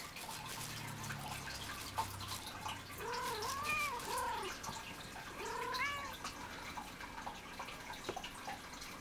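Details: Alie, a pet cat meowing like crazy while playing with a toy, utters a run of short arched meows in two bursts around the middle, some stacked and strained, over soft indoor background rustle.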